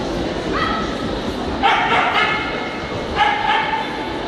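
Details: Male Rough Collie in the champion class at a dog show on 9 April 2016: three short bursts of sharp, harmonic barking and yipping over constant loud crowd and hall noise.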